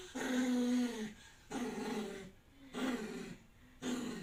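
A poodle vocalises in four tonal, moaning bursts about a second long, almost like speech, with short pauses between. The dog is calling for its caregiver to come and help.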